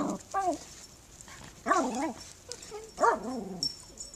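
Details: Young dog greeting a new neighbour makes a run of whimpers and yips: a short squeak, then two longer wavering cries about a second apart, separated by quieter rustling.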